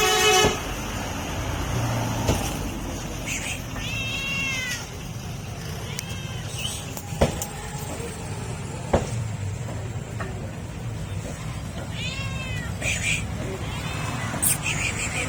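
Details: Hungry stray cat meowing for food, giving arched, rising-then-falling meows in small clusters, several across the stretch, over a steady rumble of street traffic with sharp clicks and knocks.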